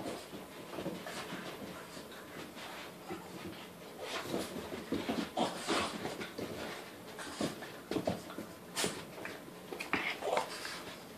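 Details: Two puppies, a Boston Terrier and a French Bulldog, wrestling together: rough broadband scuffles, panting snorts and brief whimpering squeaks in uneven bursts, a higher whine near the end, indoors.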